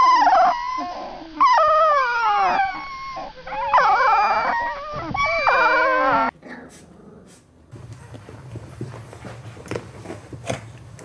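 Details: A group of puppies being gathered up gives overlapping howls and whines, with wavering high cries for about six seconds, then stops abruptly, leaving quieter room sounds, faint rustling and scattered clicks.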